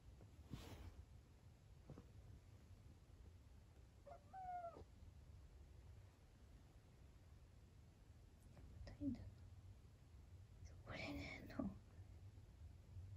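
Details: Sleepy rescued kitten meowing indoors, one of two rescued cats kept together: a few faint, short meows with a rising-then-falling tone, separated by quiet stretches, under a low steady hum and soft speech.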